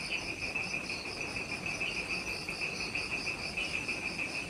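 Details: Insects in jungle at twilight just after sunset, Ishigaki Island, Okinawa, Japan: steady high pulsing trills in bands, fast beats roughly three per second, continuous overlapping chorus with soft background hiss.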